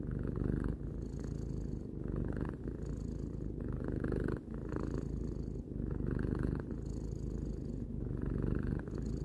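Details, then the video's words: Tarou, a cat three years old, purrs in a deep continuous rumble that rises and eases with each breath, brief dips between cycles, nothing else audible. "Cat purring"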